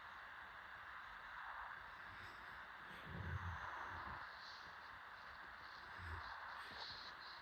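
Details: A dog snoring late at night, two low, rough rumbling snores about three seconds apart, rising out of a steady background hiss.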